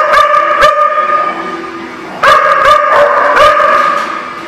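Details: Group of dogs on 27 January 2018: a few isolated sharp barks early on over a steady whining drone, then a quick burst of four or five barks in the second half with continued whine underneath.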